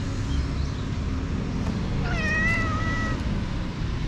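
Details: Jet-black stray cat in a park, filmed on a GoPro HERO8 while playing before it bit: one clear meow around two seconds in, rising then holding a long level tone, over steady low traffic-like rumble.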